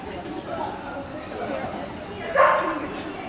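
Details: Excited, stressed dog Sadie at an indoor agility trial in Dexter, Michigan, January 2009, gives a single sharp bark late in the clip over echoing crowd chatter in the hall.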